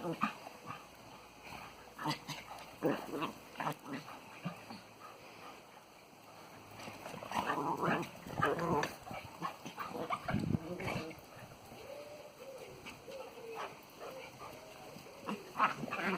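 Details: Two rescue dogs, a springer spaniel and a cocker spaniel, romp in the garden after returning from a walk, giving busy rough growls, huffs and snorts, then a thin wavering whine toward the end, with faint voices nearby.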